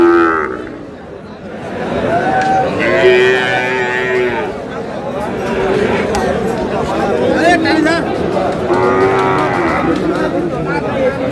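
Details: Sahiwal cattle, bull calves at a livestock market in Kurigram, Bangladesh, on 8 April: drawn-out, steady lowing moos, several in a row and some overlapping, amid busy market chatter and men bargaining.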